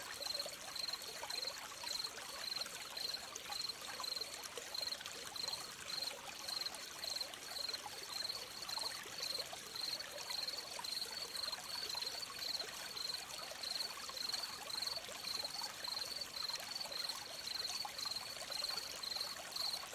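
A cricket gives high, steady chirps about twice a second over the rush of a running stream.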